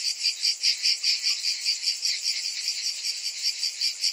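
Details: Cicadas singing together in summer, a bright rasping buzz pulsing steadily about every 0.4 seconds, the beats fairly even and strong throughout. No other sounds.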